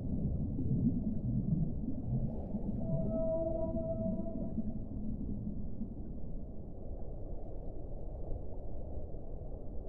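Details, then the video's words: Whale song: drawn-out tonal moans around the middle of the clip, a steady note with fainter higher overtones holding for about two seconds, over a constant deep underwater rumble. "1 ora di suono delle balene"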